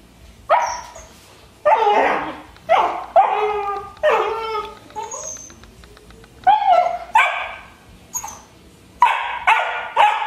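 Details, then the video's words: Rhodesian Ridgeback puppy Juno, 12 weeks old, begging for a rawhide from Nixie: bursts of high whining yips and short barks, some sliding downward, spaced irregularly with pauses between. "Ridgeback puppy begging for rawhide"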